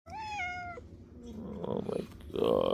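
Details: A domestic cat meows in the morning like an alarm clock on Thanksgiving Eve, with clear tonal meows, softer mews and another rising cry, while another cat rampages nearby.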